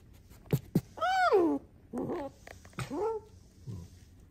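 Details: Domestic pet fox Alice gives an arching, meow-like whine that rises and falls, followed by softer, shorter cries and a few clicks, in a quiet indoor setting.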